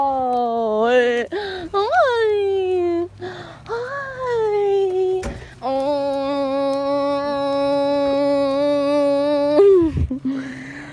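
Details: Hudson, a happy Golden Retriever, welcomes his owner home after a late shift. He gives excited, high whines that slide up and down, then one long, steady, nasal howl-like whine lasting about four seconds, with a woman's voice in the background.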